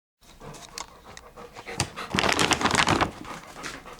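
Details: A pet dog panting indoors in a small room: quick, breathy huffs that swell into a louder burst of rapid panting around the middle, then ease off.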